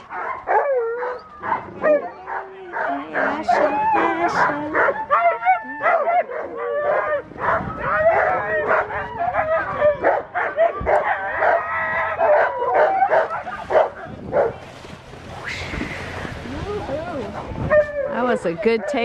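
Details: Alaskan Malamute sled dog team at a spring run in Larose Forest, Ontario, Canada, in March; excited rapid yips, barks and whines from several dogs before takeoff, with a person speaking.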